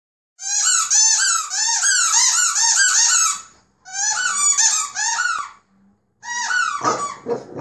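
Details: French Bulldog puppy playing by itself indoors, giving rapid strings of high, squeaky, arched whining cries in two long bursts, a short pause, then a harsher, noisier squeal at the end.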